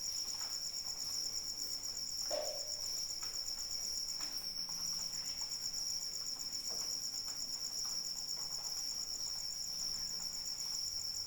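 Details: Steady high cricket trill, rapidly pulsed and ringing, continuing through eleven seconds of light rain; the song dips briefly around four seconds, and one low, brief tonal drip sound stands out early on.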